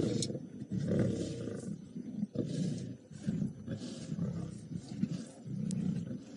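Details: On a March 13, 2018 afternoon/evening drive at Djuma Game Reserve, lions of the Nkuhuma Pride give deep, rumbling growls in repeated pulses while competing over the last remains of a buffalo carcass.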